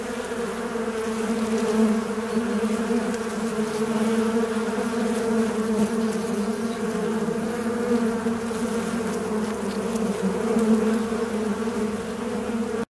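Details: Steady droning buzz of a fly in flight, a low hum layered with many overtones that holds a nearly constant pitch and volume throughout, with a faint background hiss.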